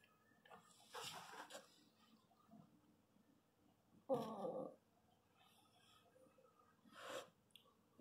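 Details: Pinscher during the natural birth of puppies, in a quiet indoor room: three separated breathy bursts, the loudest a strained whimper at mid-clip, with gentle male voice reassurance around it.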